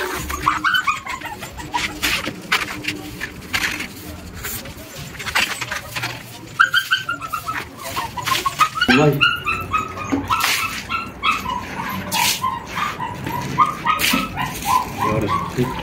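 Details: Whimpers tied to a pregnant rescue shelter dog in a foster home giving birth to many puppies: thin, high, arching whines repeated in quick runs across the stretch, with soft rustling and handling noise underneath.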